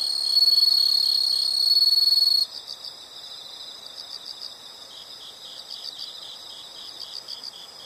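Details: Chorus of insects in nature: a strong high trill lasting over two seconds cuts off abruptly, leaving quieter, evenly repeated chirps at roughly four per second with faint layered callers.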